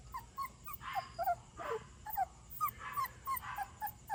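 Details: Stray puppy, possibly a retriever, wandered in late at night and taken in, crying indoors: high, thin whining yelps in quick irregular bursts, several per second, with background hiss.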